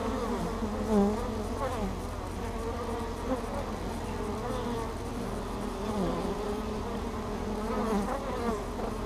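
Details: Steady, many-layered hum from bees crowding the entrance of Hive Ester, foragers returning with pollen loads, filmed by a GoPro fixed there; individual buzzes swoop up and down through the droning chorus.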